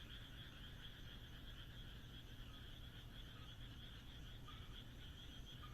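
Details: On a moonlit rural night in Japan, many frogs keep up an unbroken chorus of quick pulsed croaks. A few short, sharper calls stand out near the end, and a low steady rumble runs underneath.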